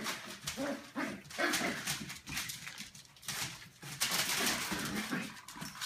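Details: Eleven-week-old Australian Terrier puppies at play in a kennel give brief whiny yelps and whimpers amid constant scuffling and clattering movement noise.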